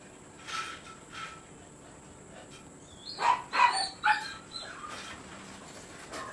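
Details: Siberian Husky stud dog at Rocketkaito kennel: soft yips early on, then a burst of three or four louder, rough barks in close succession near the middle before it falls quiet.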